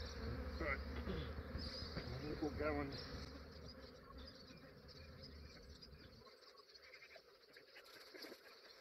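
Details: Australian beekeeper collecting a massive honey bee swarm at first light; loud, thick buzzing for about six seconds with a few brief higher whines, then the deep hum drops away, leaving a thinner, quieter buzz.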